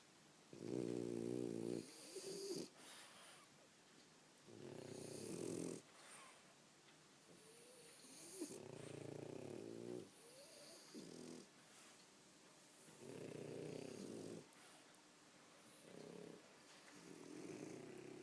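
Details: Tired French Bulldogs snore loudly in long, rasping, rattling breaths repeated every few seconds.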